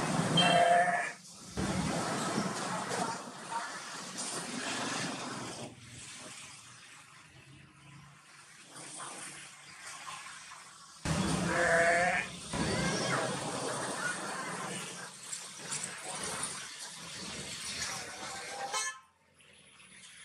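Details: Four-horned Jacob sheep in Pakistan giving two loud wavering bleats, one at the start and another about eleven seconds later, amid steady traffic rumble and some background voices.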